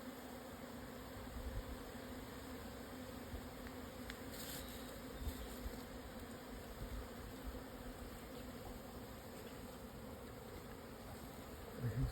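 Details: Japanese honey bee swarm at 1054 m in the southern Yatsugatake foothills, Hokuto, Yamanashi, on 17 June 2024 at 12:50 after strong wind eased, moving to a new home; a steady low droning hum with a clear lower tone and a higher overtone throughout.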